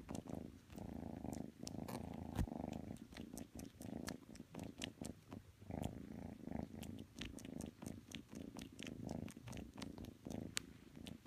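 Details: Purring from kitten Matsumoto as it cuddles up to Tanka, a pit bull, inside the home; the low purr comes in rhythmic pulses with each breath, broken by frequent small clicks and rustles.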